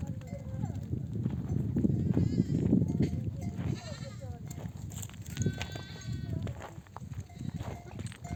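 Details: Mother sheep returning from pasture with a nomadic flock, bleating to call lambs to suckle; a few shaky, quavering bleats rise over a constant low trampling rumble of the moving flock.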